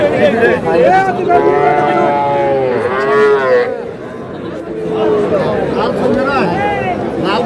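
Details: Small young bull and heifer calves bought by a farmer in Dhaka, Bangladesh, on 21 February: several overlapping, high-pitched, arching moos, some rising then falling, over a steady murmur of men's voices bargaining nearby.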